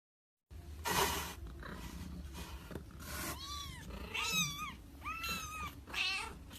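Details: Cat protecting its kitten. Breathy, hiss-like noise bursts come first, then several tense, arching yowls, each rising and falling with a wavering, strained tone, about one every second.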